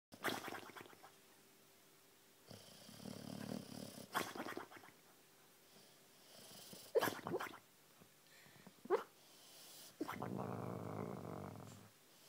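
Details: Wiggles, a boxer dog, sleeps and dreams after a hard day, snoring in rough, rasping bursts every couple of seconds, with several sharper snorts and a longer noisy breath toward the end.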